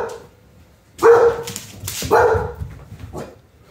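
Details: A scared female redbone coonhound, frightened by her owner, calls for her big American Doberman brother to defend her. Two loud, harsh barks about one second apart, each with a short tonal core, then a faint trailing yelp in a quiet room.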